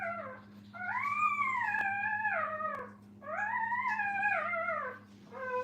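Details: Puppies with their mother at a kennel give long, drawn-out whining howls. Each rises, holds, then sags, and one follows another after a short pause, with the start of a third at the end. A steady low electrical hum runs underneath.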